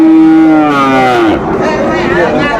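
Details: Sahiwal cattle at the Ambari haat cattle market near Mymensingh, a twice-weekly market held Mondays and Fridays, recorded on a Friday: a long, low, falling moo fills the first second and a half, then market chatter and voices continue.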